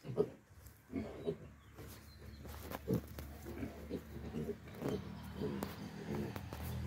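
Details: Pigs on a farm giving low, short grunts scattered irregularly over about seven seconds, with a steady low hum and some background clatter.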